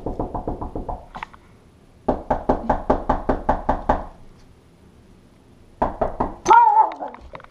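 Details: A male Pekingese gives rapid bursts of sharp, high barks at an intruder alert, protecting his house.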